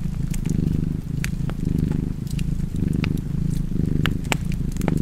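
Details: Cat purring close up, a rich low vibrating rumble in regular inhale-exhale waves near one per second, with crisp wood-fire crackles popping over it.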